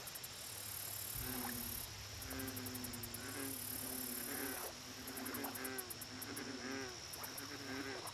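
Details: Lake chorus of American bullfrogs, low droning croaks overlapping almost continuously with drawn-out harmonic hums and faint wavering notes, over bursts of high-pitched insect ticking and a constant thin whine.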